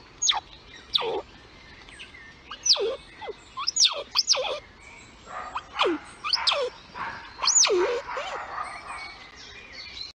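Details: Lilli, a mother squirrel, squeaks at her kids in the nest: loud arched squeaks that rise and then fall steeply, given singly or in doubles roughly every second, over soft rustling.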